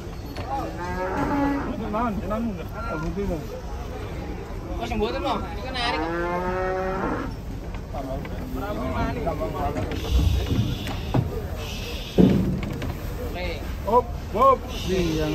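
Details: Large fattened cattle being loaded onto a truck in Indonesia; loud, drawn-out moos with wavering, harmonic-rich tone, several in succession, followed by clattering and handling noises.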